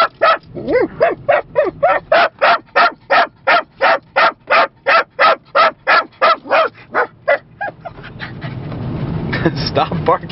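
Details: Yorkshire Terrier puppy and dorkie travelling by car in Lancaster County, barking at Amish people. About twenty sharp, evenly spaced barks come roughly three per second, then stop, leaving engine rumble and faint voices.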